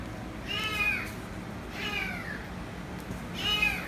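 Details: Noisy kitten demanding head rubs, meowing loudly and insistently: three drawn-out, slightly falling meows about every 1.4 seconds, with a low background hum in a small room.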